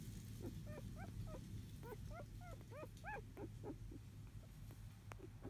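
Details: Field-line Labrador Retriever puppies, four days old, napping, born to biscuit, 2017 JFA Grand Champion; a run of high, arched squeaky whimpers about three per second, rising then falling, with a low steady hum beneath.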